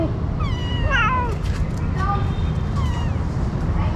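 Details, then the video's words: Street mother cat caring for her kitten while fighting another cat: several loud, harmonic meows that rise and then fall steeply, clustered in the first second, followed by shorter drawn-out cries, over steady low traffic rumble and voices. "This mother cat takes good care of her kitten he fight other cat"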